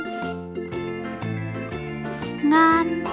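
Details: Children's music with a tinkling jingle and steady beat, no animal voice heard.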